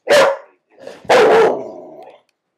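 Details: Pet dog making funny sounds: a loud, sharp bark, a brief softer pause, then a second loud bark drawn out into a longer, fading, whine-like tail lasting about a second; quiet room otherwise.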